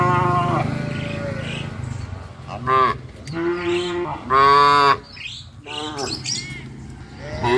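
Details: Tame village cattle heading out to green grazing fields in the morning call repeatedly, giving a series of loud, rich harmonic moos, some rising and falling, overlapping in quick succession from several animals.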